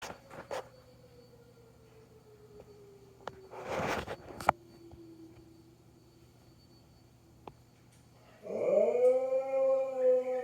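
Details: Dogs howl at a tornado siren test: the siren's steady falling tone gives way to a dog's rich, rising howl that then holds a level pitch, ending very abruptly.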